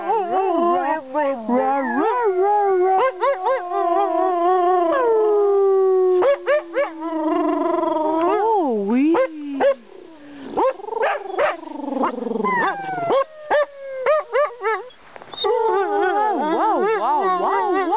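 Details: Pet Siberian Husky howling to serenade its owners: long wavering, yodelling howls that slide up and down, broken by short yips and yelps, loud throughout.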